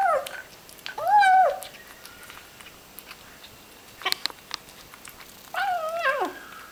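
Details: Small ginger kitten eating, uttering two short, wavering mews several seconds apart, with sharp clicking chewing noises in between.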